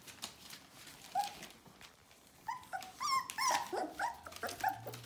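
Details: Indoor litter of Bohemian Shepherd puppies, nearly four weeks old, in a run of rapid high whimpers and whines, some rising and falling, with clicks and a low hum near the end.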